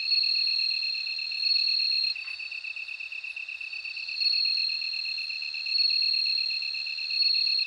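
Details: Bell cricket ringing in repeated bursts of high trilling, each lasting about one to two seconds, against an unbroken background of fast, even insect pulses.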